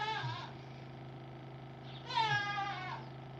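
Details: On a family farm in Temple, Pennsylvania, a mother goat gives two loud, wavering bleats, calling for her missing kid.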